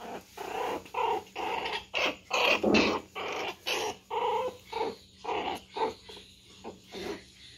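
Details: Young Pinscher Bonnie teasing the poodle Maia indoors: a rapid run of sharp, high yapping barks mixed with growly snarls, bursts about twice a second with short gaps, loud and close.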